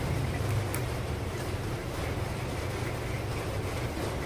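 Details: Steady low rumble of wind or engine noise with no animal sounds.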